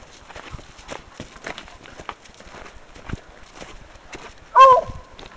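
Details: A female Bluetick Coonhound named Pepper, on a hike, reacts to a scent with a single sharp, ringing bark near the end. Crunching steps and scattered clicks fill the rest.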